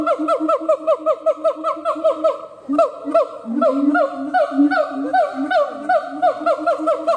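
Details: Siamang gibbon giving rapid, bouncing honks that swoop up and down, a quick regular series with a short break and then a lower, slurred run of overlapping notes.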